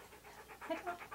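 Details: Key, a Siberian Husky, posing in hats and clothing for a photoshoot, panting softly in quick, even breathy pulses about eight per second, faint and close.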